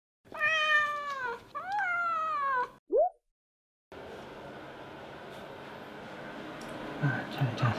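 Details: Short-legged Munchkin cat, indoors at the sink where it sleeps, gives two long drawn-out meows, the first steadily falling, the second rising then sliding down, followed by a brief rising chirp; afterwards a noisy stretch with faint low thumps.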